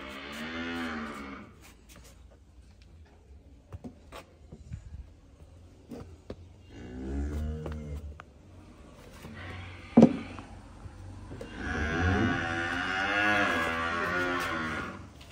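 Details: Calves calling, with a harmonic moo at the start, another near seven seconds, and a long loud moo near the end, with clicks, knocks and a sharp bang between calls.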